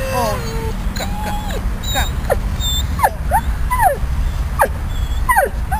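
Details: Uncomfortable after leaving ICU, the dog Riddick whimpers on the lawn at Bryanston Veterinary Hospital: a couple of longer whines, then short sharp rising-falling yips roughly every half second, over constant low background rumble.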